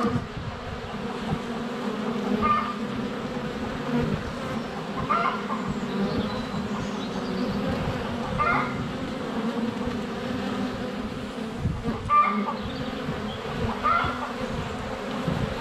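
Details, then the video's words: Honey bees hover at the hive entrance on a sunny February day, close to a GoPro Hero 7 Black. Their thick, unbroken droning runs throughout, with short mid-pitched calls from farm animals or birds recurring every couple of seconds. "4K Honey Bees - ambient video and audio"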